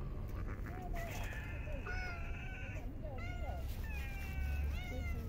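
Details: Park stray cats during a cold winter feeding, long sustained meows with steady pitch and short bent cries, more than one cat calling, with a low rumbling background.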